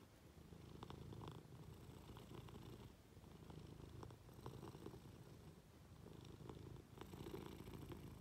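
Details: Affectionate Munchkin cat that has climbed onto its owner lying in bed, purring continuously; a deep, even rumble rises and falls with breathing, with soft rustles in the background.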